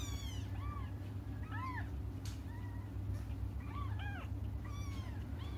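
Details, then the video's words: Kittens waiting for their mother cry in short, curved meows, two or three voices alternating and overlapping in bursts, against a constant low-pitched background hum. "until their mom comes just stop crying"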